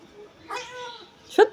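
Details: Cat sitting to catch a fly, giving a short, nasal, harmonic meow that holds steady then fades, followed by a brief sharp chirp; a woman talks to it before and after.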